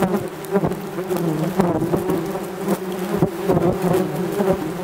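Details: Yellowjackets swarming a camera beside their ground nest in an unprovoked attack lasting over twenty minutes: many wasps buzzing in a thick, low, wavering drone, punctuated by sharp taps as they strike the lens.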